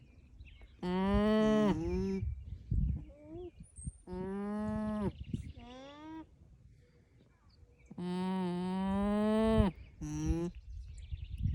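Alpacas give a series of loud, nasal hums, steady and rich in tone, each lasting about a second and trailing off in a brief downward slur. The calls come in bursts a few seconds apart, with quiet gaps between them.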